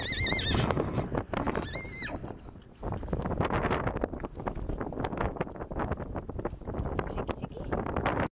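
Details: Dog grows vocal as it recognises the walk toward Hamnabreck, where it was last with its mother. Two short, high, tonal whining cries in the first two seconds, then steady footsteps and rustling noise.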